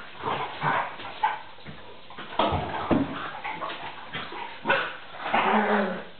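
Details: Vizsla puppy Tarka, aged three and a half months, in rough play with NooNoo the pointer, not a real fight; throaty growls and short barking yips come in uneven bursts, with a drawn-out growl toward the close.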